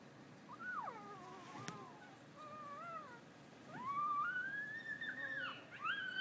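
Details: Griffith Park coyotes howling: thin, wavering sliding tones that rise and fall, overlapping as several voices join, with a later longer rising wail; a faint click partway through.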